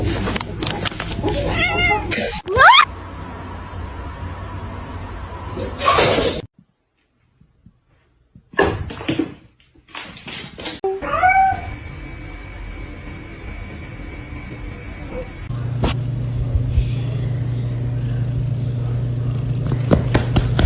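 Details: Domestic cat in a funny-cat compilation, giving short rising, wavering meows near the start and again midway. Laughter, talking, screaming, music and household noise surround the calls, with a silent gap in the middle.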